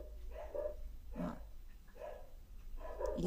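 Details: Neighbours' pet dogs barking in Trindade, recorded from dusk into early morning; a dog outside joins the recorded dog. Four short barks come roughly every three-quarters of a second over a low steady hum.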